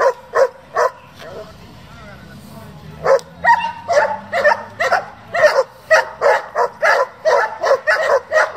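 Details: Repeated sharp barks from a German Shepherd raised for breeding and competition, with a brief pause near the start where a human voice is heard, then quickening barking in a dense run.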